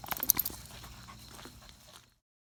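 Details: Gonta, a beagle on Amami Ōshima, sneezing as the weather turns cold: a sharp burst of snorting sneezes in the first half second, then fading breathy snuffles and faint rustling before silence.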